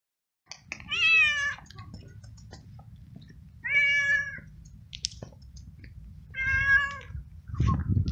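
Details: Stray male domestic cat in heat, excited when petted and seeking a female, meowing three times in long harmonic wails about two seconds apart, with faint low room rumble and a soft thump at the end.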